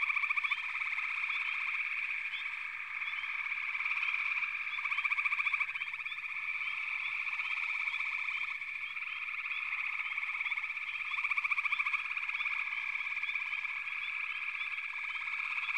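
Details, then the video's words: A sustained frog chorus of countless overlapping callers: droning pulsed trills with rhythmic swells of louder trilling every few seconds and frequent short upslurred chirps riding on top. "FROGS - Pig Frogs, Water Frogs, Backwater Chorus, & Frog Chorus"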